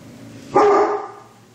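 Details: Great Pyrenees barking alongside Newfoundlands; a single short, loud, deep bark is heard.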